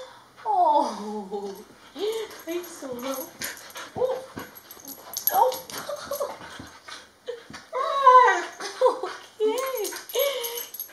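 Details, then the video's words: Solo, a pet Border Collie, cries when a family member comes to visit; a long falling whine opens, followed by choppy whimpers, yelps and sobbing cries mixed with a woman's voice speaking indoors. "Border Collie Cries Whenever She Visits"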